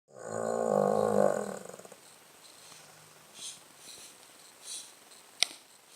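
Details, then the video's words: Charlie, a Blenheim-pattern Cavalier King Charles Spaniel, snoring loudly on 21 November 2016, a daily pastime. One strong, nasal, harmonic snore lasts about two seconds, followed by quieter breathing rasps and a sharp click near the end. "DOG LOUDEST SNORING"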